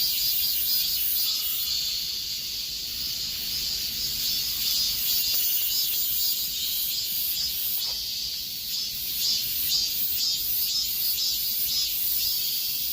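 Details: Cicadas singing in the midsummer heat: a dense, high, shimmering buzz that holds steady throughout, with faint rhythmic pulsing laid over the continuous drone and no other clear sounds.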